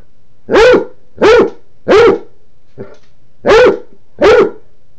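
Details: Male Basset Hound with an empty water dish, letting his people know he wants it refilled; five loud, gruff barks at roughly even spacing with a short pause and a faint huff midway.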